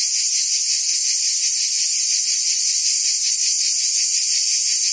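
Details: Steady ringing buzz of cicadas in forest trees, high and dense, with a faint rapid throb and constant loudness from start to finish.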